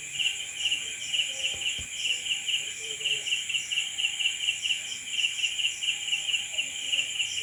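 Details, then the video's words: Crickets at night produce a steady, high, shrill pulsing chirp, about two to three short bursts per second without a break, over a soft background hiss with one faint low knock. "Night Cricket Sound Effect"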